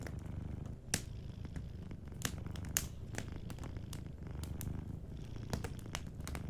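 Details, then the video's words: Deep, even purring from a sleeping cat, pulsing steadily, with a few bright snaps from a crackling fireplace. "Warm Fireplace Ambience with a Sleeping Cat 🐱💤Fireplace & Soft Purring"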